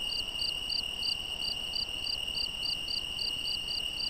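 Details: Night-time cricket song from the Algarve, Portugal: evenly spaced high chirps, roughly three each second, riding on a constant shrill background tone from other insects, with soft hiss beneath.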